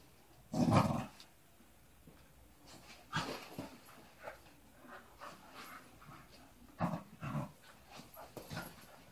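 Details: Three Staffordshire Bull Terriers give short gruff growling bursts with quiet pauses while playing with a rope in the early morning.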